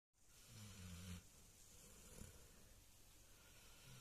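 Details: Central Asian Shepherd Dog (Alabai) asleep, giving a heavy, deep snore, one low rumbling breath lasting under a second, followed by quieter breathing against faint room hiss.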